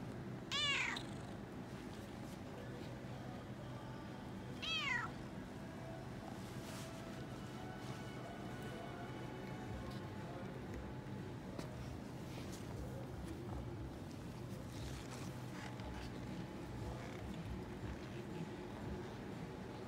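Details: Excited Toyger cat exploring a pet shop on a Thursday while waiting at the vet, purring nonstop. Two bright, curved meows about four seconds apart open the passage, then continuous low purring and faint indoor background sounds.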